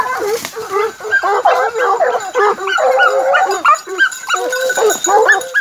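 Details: Three Gascon hound pups under nine months old and a Norwegian Elkhound, out together in a park, let loose loud, rapid yelps and bays, about three per second, overlapping in an excited, ragged chorus of high, bending cries.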